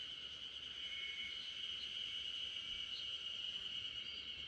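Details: Steady, high, shimmering drone of a spring cicada chorus in the backyard of RunRun, a sleeping Great Pyrenees, with a few faint chirps above and no other sounds.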